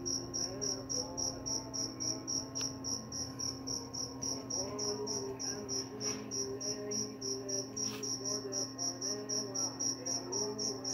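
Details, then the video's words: Cricket giving rapid, high, ringing chirps about three to four a second. A steady low hum and soft melodic voices or music run quietly beneath, with a few faint clicks. "Suara jangkrik pengantar tidur dan juga mengusir tikus"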